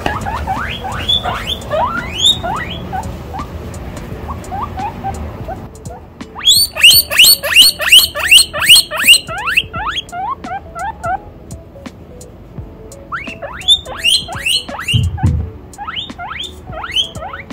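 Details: A baby guinea pig, excited and delighted at seeing chinchillas, squeals loudly in bursts of rapid rising whistled wheeks, with a quieter stretch of low rumbling noise before the calls resume.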